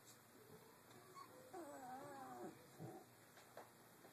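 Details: Three-week-old Doberman puppies playing in their cage area give a wavering, drawn-out whine rising and falling for about a second, with soft rustling and shuffling around it in a small indoor space.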